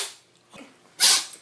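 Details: Cat with a cold: a single sharp, hissing sneeze, a brief burst of airy noise after a soft intake of breath.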